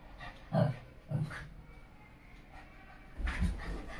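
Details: Shih Tzu. A Shih Tzu lets out short, husky barks in quick pairs, then falls silent for a moment. A final rougher, longer bark closes the sequence.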